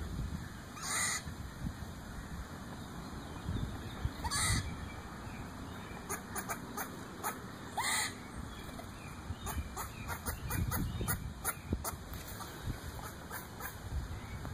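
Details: A squirrel in a backyard tree above the recordist gives harsh, clucking, chicken-like barks, a few spaced bursts and then quicker short chucks, over low rumbling wind and a steady high insect-like whine.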